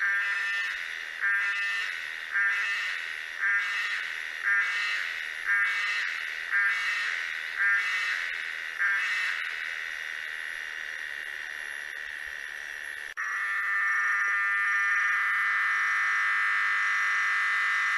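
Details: Tosena albata cicada calling in rhythmic pulsed phrases, about one every 1.2 seconds for nine seconds, then switching to a loud, unbroken buzzing drone after a brief cut.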